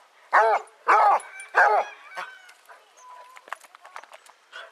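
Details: Pack of 18 Basset Hounds walking at Belwade Farm, Dess, Aboyne, Scotland, 10 August 2014. Three strong, rich baying barks come in quick succession, followed by quieter voices and scattered rustling.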